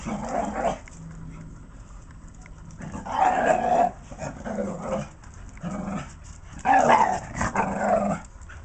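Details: Two Patterdale Terriers playing together, giving rough, rumbling play growls in bursts about every one to two seconds, with short louder snarling peaks between quieter gaps.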